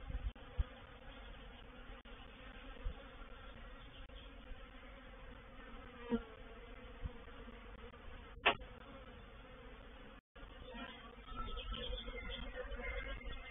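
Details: Honey bees of a reproductive swarm moving into a bait hive, Painted Peacock Manor, 04/07/21: an ongoing buzzing hum broken by several clicks and a loud tap, a brief dropout, then a louder burst of buzzing.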